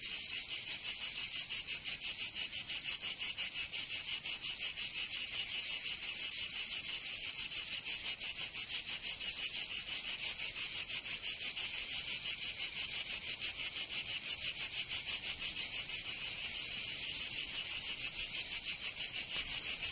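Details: Cicadas of Provence in the south of France singing in summer: twenty seconds of a relentless shrill buzzing chorus, pulsing evenly about three times a second at a constant loudness.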